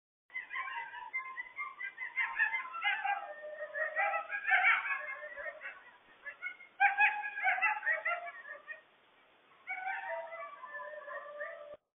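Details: A pack of Eastern coyotes in Massachusetts in 2024, seemingly behind the recorder, gives a chorus of overlapping, wavering yips, barks and high screaming howls.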